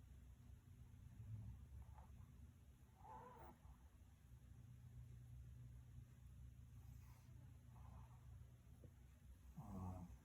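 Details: A female Shih Tzu snores while asleep, a low rumbling drone with a rougher breath every few seconds.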